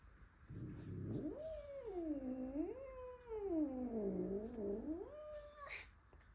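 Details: Angry male house cat at home protesting a newly arrived male Russian Blue. A long, drawn-out yowl that dips and rises in slow wavering swoops for about five seconds, ending abruptly. A woman speaks Romanian nearby.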